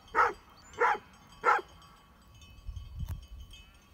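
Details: Great Pyrenees sheep dogs met by mountain bikers near Heber, Utah: three loud, sharp barks about two-thirds of a second apart, followed by wind rumble and a faint clank.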